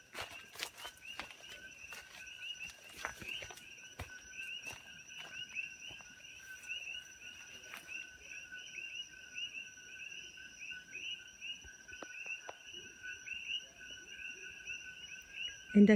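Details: A dense chorus of coqui frogs at sunset and into dark on a farm in Kona, Hawaii, gives steady, overlapping two-note chirps that merge into a shrill, ringing drone.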